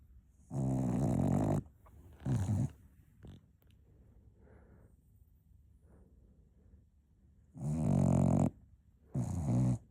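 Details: Cocker Spaniel puppy napping, snoring loudly in four bursts: long broad raspy inhalations near one and eight seconds with shorter ones between, separated by quiet breathing.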